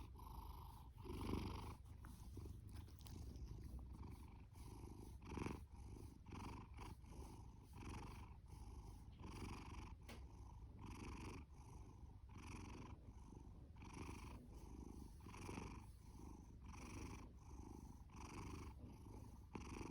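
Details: Fasu, a male orange tabby cat from a rescue shelter, born October 2019, purrs and snores heavily: continuous deep rumbling cut into quick regular pulses, a couple of sharp thumps early on.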